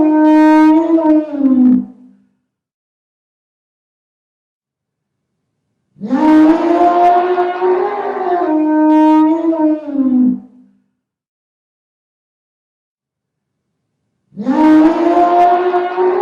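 An elephant trumpets in three loud, brassy blasts separated by silence.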